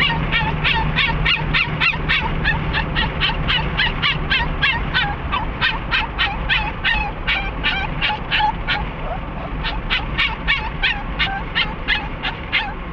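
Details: Riding in a car toward Sarah Park Dog Park in Lake Havasu City, an excited dog named Cricket keeps up a rapid, nonstop run of high, sharp yips and whines, several per second, above low engine hum.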